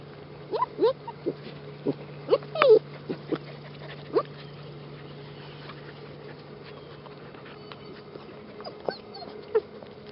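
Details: Eleven-week-old mixed-breed rescue puppies: several sharp, high whimpers and yelps clustered early on, then quieter with a steady low hum and a few faint squeaks near the end.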